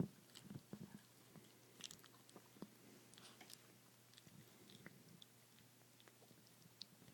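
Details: Chihuahua ChiChi eating a bone: irregular crunchy bites and sharp clicking gnaws scattered through the clip, denser in the first half, over a faint steady low hum.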